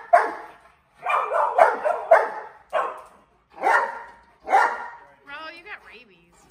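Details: Mastiffs barking during balloon play: a string of loud, harsh barks, some overlapping, followed at the end by a high, wavering squeak.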